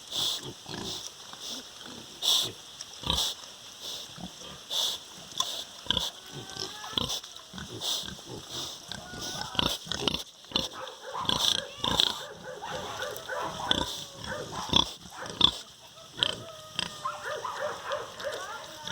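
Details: On a farm, pigs grunt in short bursts while a sow's piglets add thin, wavering squeals over a steady background hiss.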